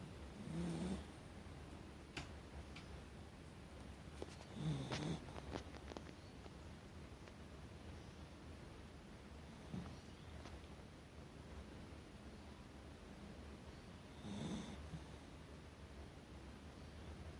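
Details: Hacchi, a pet Chihuahua, asleep on the afternoon of 29 April 2020 around 15:40 with a breeze from a window, snoring like an old man: three low, nasal snores spaced irregularly, at about four- and ten-second gaps, over a quiet room.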